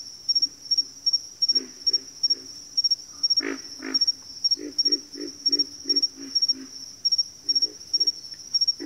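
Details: Frog chorus with a loud rasping double croak midway, then a steady train of low grunting notes roughly every half second, over an unbroken high-pitched whine.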